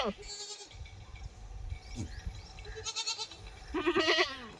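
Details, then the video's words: Goat mother and her kid calling to each other; a few faint bleats, then one loud wavering bleat near the end over a low rumbling background. "The Sound Of A Goat And Her Kid Talking"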